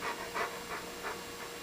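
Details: Hungry pet dog Coco, an older dog who now tells his owners when he wants feeding: faint, breathy panting huffs repeated in an even rhythm, several in a row, against a soft hiss, an owner asking if he is hungry.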